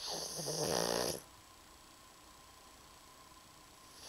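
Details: A plump pet pug named Maruko asleep, letting out one raspy snore lasting about a second, followed by near silence.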